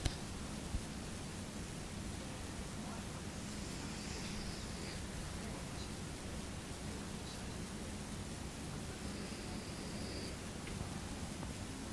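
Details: Steady low hiss of indoor room noise with faint murmured voices in the background and no clear animal sound.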